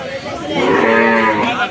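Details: Huge bull at the Bogabari cattle market in Bangladesh giving a loud, steady harmonic moo lasting over a second, with crowd noise behind.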